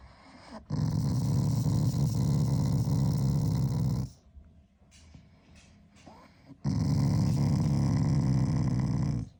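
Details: Shiba Inu growling at its owner as an expression of affection, not anger; two long, low, rough rumbling growls of about three seconds each, pulsing rapidly, separated by a quiet pause.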